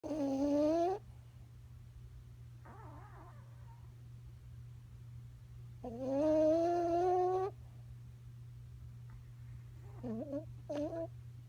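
A sleeping Boston Terrier snores in whistling, nasal rasps every few seconds over a steady low hum.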